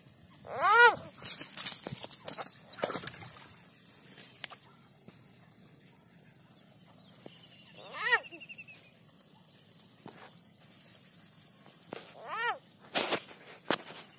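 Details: A captured frog gives three separate screams, each a short, arched, harmonic wail, near the start, middle and end. Handling clatter, scraping noises and a constant high-pitched hiss fill the gaps.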